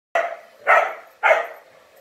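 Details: Indoor pet dog barking because it does not like the blowdryer: three sharp, loud barks about half a second apart, with no other clear sounds.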